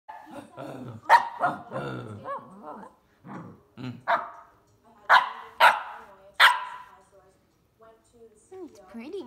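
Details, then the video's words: A female Samoyed puppy practicing her bark gives short, high, yappy barks in bursts, with some soft growly yips between them. "Samoyed puppy practicing her bark."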